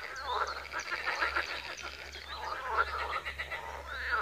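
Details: Chorus of frogs at a pond in Wiry, with rapid chattering croaks and rattles overlapping continuously above a faint low hum.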